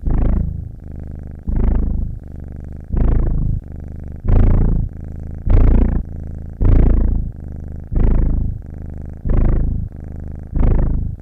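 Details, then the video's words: Continuous low purring of a domestic cat with breath sounds, rhythmic loud swells around every 1.2 seconds alternating with a fainter steady drone, no other noises present. "Som de gato ronronando - som de ronronar de gato"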